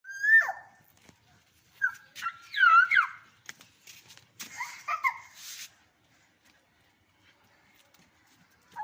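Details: Angry dog named Rocky barking: a handful of sharp, high yelping barks in short bursts over the first six seconds, separated by brief pauses, then near silence in an indoor room.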